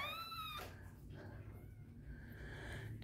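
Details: Newborn male Lhasa Apso, third puppy of the litter, dark-coated, with the mother dog nursing and cleaning the pups, gives a loud, high, squealing cry ("good lungs"), followed by a woman talking and soft music.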